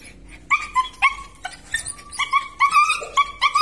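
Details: Belgian Malinois of a sturdy working line producing a rapid series of short, high yelping whines, roughly three to four per second, some rising and some bending downward, loud and clear over a quiet background.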